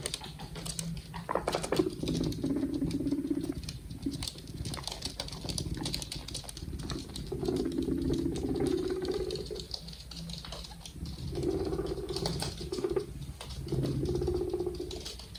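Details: Two happy pet guinea pigs kept indoors: low, buzzy, rumbling bursts of a few seconds each, recurring four times, with steady soft rustling and pattering in between.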